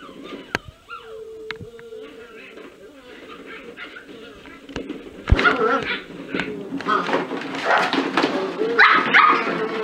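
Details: Playing in a ball pit, a litter of cocker spaniel puppies whimpers with thin, wavering whines and sharp yips early on, then the clatter and rustle of plastic balls takes over with occasional squeaks.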